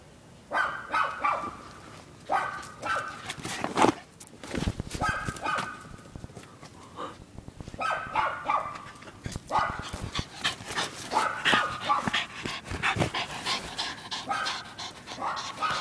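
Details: Female Welsh Terrier playing frisbee, catching it in the air: short harmonic barks in repeated bursts every second or two, with a man's voice now and then between them.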